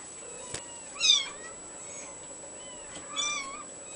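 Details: Abyssinian kitten named Mikitiko gives two short, high, thin meows about two seconds apart, each with a quick rise and fall, against a faint steady background hum.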